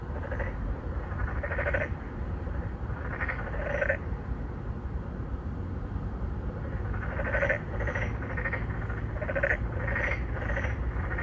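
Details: Narrow-mouthed frogs, three or four of them courting females, call at an apartment-complex pond in Songdo, Incheon, Korea, in 2019; Galaxy Note 9 recording. Overlapping pulsed croaks come in clusters, with faint high chirps and a heavy low hum beneath.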